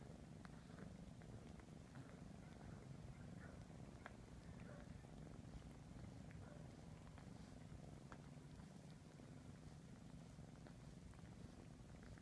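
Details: Low, even purring rumbles throughout from a 3.5-month-old kitten busy cleaning his siblings, overlaid with soft irregular ticking licks and small mouth noises.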